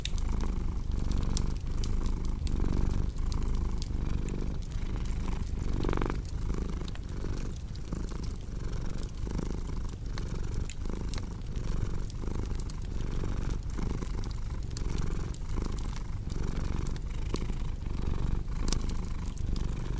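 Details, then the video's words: Domestic cat purring steadily, a deep low rumble swelling and easing with each breath, mixed with the crisp pops and crackles of a cozy fireplace throughout. "Purring Cat"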